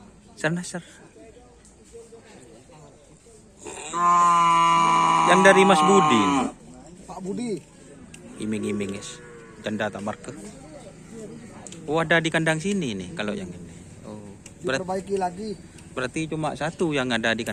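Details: Racing bull training for karapan sapi, the bull race, on the Asemanis field. One loud, drawn-out moo of about three seconds, rich in harmonics, ends in a falling slide. Men talk before and after it.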